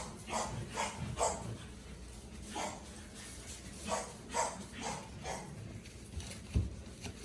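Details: Vera's 45-day-old puppies give short, sharp barks and yips in irregular bursts about every half second to a second, with background shuffling and faint room noise.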